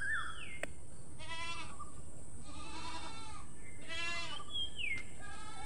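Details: Goat giving repeated nasal, quavering bleats about once a second, each with a strong buzzy tone, over steady background hiss, with thin whistled bird notes at the start and end.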